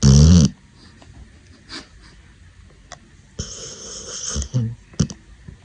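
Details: Pit Bull puppy asleep, giving a sharp, loud snort at the start, then soft breathing and a few short, rough, low snores toward the end.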